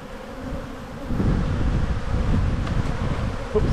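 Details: A crowded box of bees hums during a spring hive inspection while the colony builds up and brood is emerging. A low droning buzz swells after the first second, with rustling handling noise.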